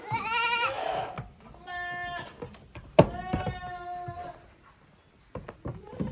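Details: Young goats, the kids of Koharu and Okayu, at play in a farm exercise yard on June 13, 2023; a loud high bleat opens, then several quavering bleats with clatter and thumps between.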